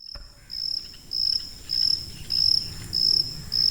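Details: High-pitched cricket chirping offered as a tinnitus masking sound: short shrill pulsed bursts repeating roughly every 0.6 seconds, six chirps, over a soft low background rumble.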